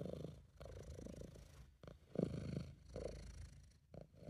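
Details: British Shorthair cat purring while relaxed and happy, recorded at home by an amateur. Continuous deep vibrating purr swelling and fading with breathing, slight background hiss.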